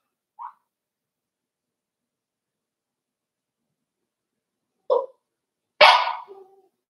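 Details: Five-week-old Cavalier King Charles Spaniel puppies in Daisy's puppy pen, filmed on a livestream. A single short yip, then a long silence, then two more sharp yips about a second apart, the last louder and harsher, in an otherwise quiet room.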